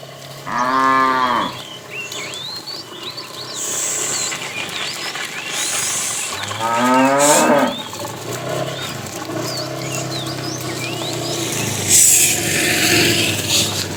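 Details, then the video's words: Cow in a tame herd being driven in the afternoon, calling the female: two short moos early on, the second rougher and rising, over steady background noise, hissing bursts and bird chirps. "The funny sound of a fat cow calling the female"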